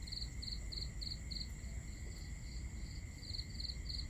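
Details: Cricket on a summer night in Southern Europe giving short pulsed chirps about three times a second, some fainter, against a steady high whine and a low continuous rumble.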